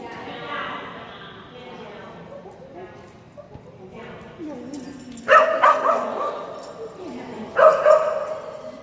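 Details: Phenix, a Kerry Blue Terrier, at an agility class on June 4, 2019: two sharp, loud barks late in the clip, with quieter voices and indoor murmur before them.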